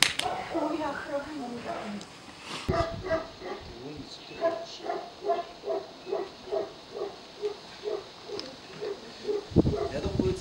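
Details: Tibetan Mastiff at a Russian kennel during a protection test, untrained dog facing unfamiliar strangers; steady series of deep barks roughly every half second, with a man's voice speaking over the start and the end.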